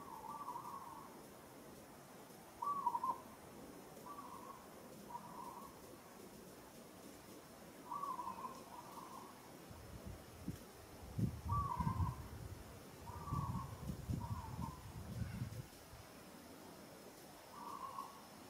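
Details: Monkey in Kampong Cham Province, Cambodia, calling as she struggles against rough handling by another monkey; short mid-pitched whimpers repeated in a loose series, with low thumping and rustling handling noise midway.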